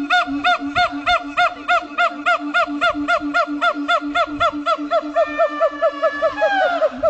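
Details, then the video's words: Siamangs howling at Dubbo zoo in NSW: fast, regular arched whoops nearly four per second over a sustained low tone, speeding up and ending in a rising shriek. "siamang monkey's howling"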